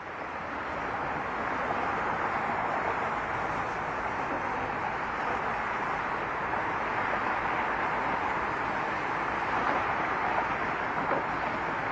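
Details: A steady broadband roar like passing traffic or an engine fills the whole recording, with no animal voice.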